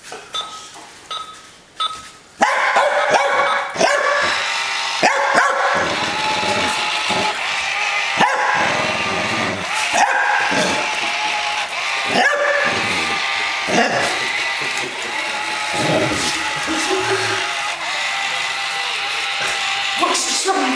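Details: Mia, a pet dog at play against a Buzz Lightyear toy, growls almost nonstop for twenty seconds, snarling rises mixed with frequent short barks and yips after a few quiet beeping toy sounds at the start.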